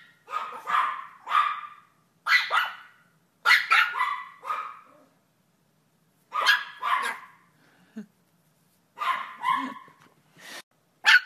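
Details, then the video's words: Shrill, rapid yapping from a Yorkshire Terrier, barks bunched into tight clusters of two or three that follow each other almost without pause. "YORKIE AMAZING BARKING - Yorkshire Terrier Barking and Howling Compilation"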